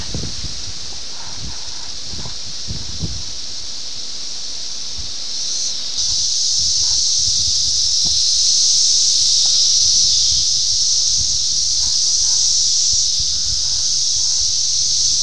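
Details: 17-year periodical cicadas of Brood X in Ayersville, Ohio, June 18, 1987, many individuals close by, recorded on VHS: a dense, unbroken high-pitched droning chorus that swells louder about midway and stays strong, with faint rustles below.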